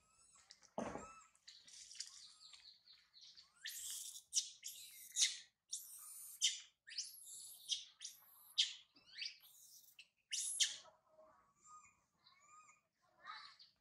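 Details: Infant monkey named Sario crying loudly on a high tree after mother Sarah left her. A rapid string of harsh, shrill screams, each under a second, comes in quick succession, with thinner tonal wails near the end.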